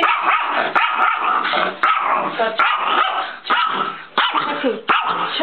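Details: Chihuahua angry at the camera, barking in a steady run of sharp, harsh barks about every half second, with a low growling edge and faint human voices behind.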